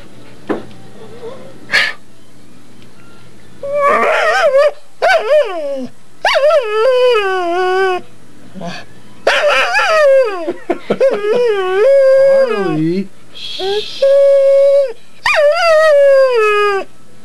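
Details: Pet female pit bull making ridiculous noises from under the bed: a run of drawn-out, wavering howls and whines rising and falling, some bent sharply downward, broken into bursts of one to two seconds; owner's voice softly calls between.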